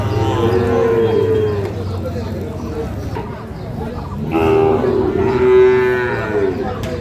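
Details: Sahiwal bull calves for sale at Ambari market in Parbatipur, Dinajpur, Bangladesh, 11 May; two long lowing moos about three seconds apart, each harmonic-rich and wavering, with market noise between.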